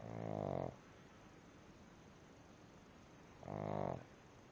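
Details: Sleeping pug snoring: two rough, buzzy snores under a second long, about three seconds apart, with quiet breathing in between in a small indoor room.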